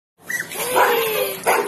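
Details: Galgo Español rescue dogs up for adoption, playing together in a patio; a quick yelp opens, followed by a sustained rough bark and a second sharp burst at the end.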